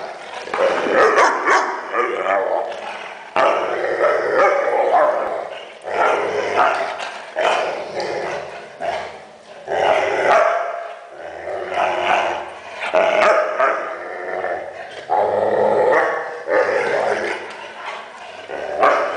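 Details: Weimaraner dog making funny noises: long drawn-out moaning, grumbling vocal bursts of a second or two each, rising and falling, separated by brief pauses, with some growl-like tones.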